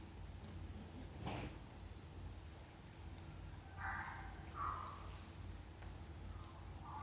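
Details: Domestic cat scene, a mother cat gently caring for her kittens indoors; two short, faint, tonal mews follow each other about a second apart midway, over a steady low hum with a sharp click early on.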